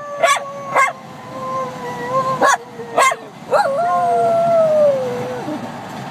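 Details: Jack Russell Terrier howling as it copies its owner's howling: long, wavering tones that slide slowly downward, broken by sharp yips or barks, with a final rising-then-falling howl that trails off.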